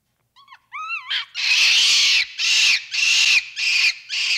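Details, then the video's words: Capuchin monkey opening with a few thin rising-and-falling whistled notes, then breaking into loud, harsh, sustained screams in five long bursts about half a second apart. "1 Hour of Monkey Noises | Monkey Sounds | Capuchin Sound"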